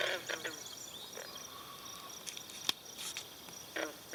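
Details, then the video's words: Green frogs calling in chorus at a pond at Brillion Nature Center, with swallows drinking there; short harsh twanging notes come in scattered bursts, with a thin steady whistle in between and a quiet outdoor background. "pond with green frogs in chorus"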